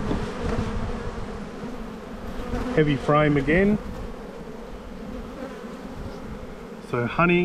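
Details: Honey bees humming in a bee yard during a spring hive inspection, the black hive full of brood. A steady low drone runs throughout, with two short bursts of human speech near the middle and end.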